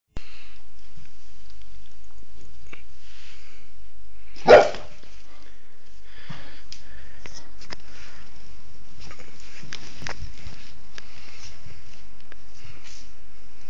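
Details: Pet dog, a female, sneezing indoors while tearing at her blanket; a single sharp, explosive sneeze about midway, otherwise quiet, soft rustling and faint snuffling.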